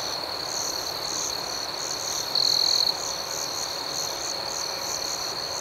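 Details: Crickets chirp through the night in a constant shrill trill layered with quick pulsed chirps. A brief louder burst from one nearer insect cuts in partway through.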